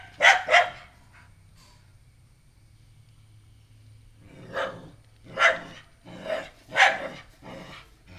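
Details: Female pet dog at home barking at a new stray puppy just brought inside: a sharp double bark, a pause of about three seconds, then a run of four or five separated barks.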